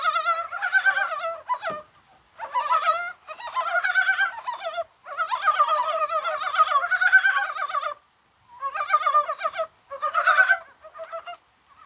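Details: Mountain frogs calling on a spring-like, rainy January 21st day, possibly spawning; overlapping bursts of rapid, clucking, pulsed croaks from several animals, broken by short pauses, with a single sharp knock near the start.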